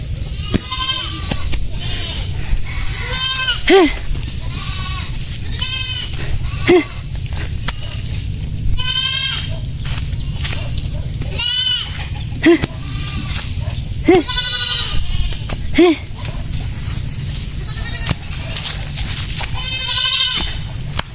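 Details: Farm goats that keep coming back to eat plants are being chased off. Repeated short, nasal, harmonic bleats come every few seconds across the clip, mixed with a man talking and steady background hiss.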